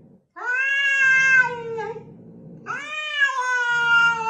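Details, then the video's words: A domestic cat gives two long, steady meows with strong harmonics, each held for over a second, the second slightly lower and drawn out, with soft background rumble between them. "These cats can speak English"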